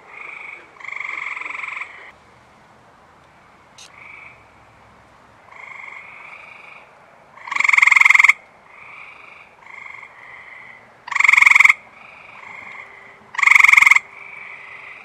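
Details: Many male Eastern Gray Treefrogs chirping at a reservoir after rain on a warm, humid night; a loud close caller gives short rapid trills every few seconds while softer distant frogs fill the gaps with similar trills.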